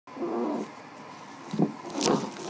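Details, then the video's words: Dog making a low, drawn-out moaning vocalization that rises and falls in tone, with brief breaks, in a small indoor room. "Dog talks funny"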